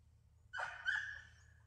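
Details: Welsh Springer Spaniel named Elfin during hunting training gives one short, tonal yelp with a sharp onset and a drawn-out, slightly wavering tail, over a low steady hum.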